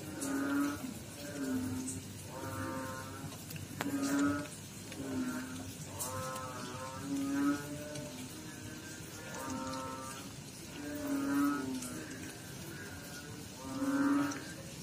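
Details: Frog chorus in water, with rich, buzzy croaks about a second long, repeated roughly every one and a half seconds. Overlapping voices vary slightly in loudness, with a few sharp clicks in the background.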